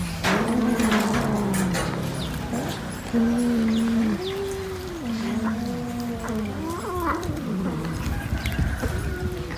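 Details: Cats eating fish produce repeated low, wavering growls and yowls that rise and fall in pitch, several overlapping moans in a row with steady background noise throughout.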